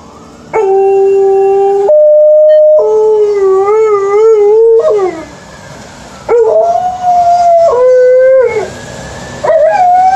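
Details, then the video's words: Liza, an Alaskan Malamute, howls on an early morning walk, a usual event. Long, clear, tonal notes hold steady, then waver and slide, with short breaks between phrases. "Early morning walk with Alaskan Malamute: howl"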